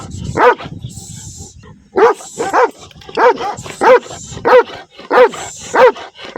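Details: Black dog with white markings on chest and paws, outdoors, barking angrily: sharp barks in a steady series roughly every half second after a brief pause, with a faint high whine in the background.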